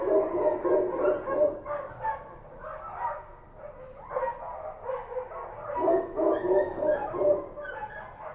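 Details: Kabul street dogs of the Kochi type barking at night: several animals give rapid, overlapping barks, about three per second, in surging waves of mid-pitched yaps.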